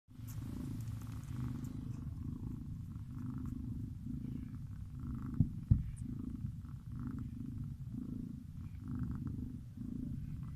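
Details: A sleeping cat snoring: soft, low rumbling breaths pulse steadily, roughly one per second, with a brief faint click near the middle and otherwise quiet surroundings.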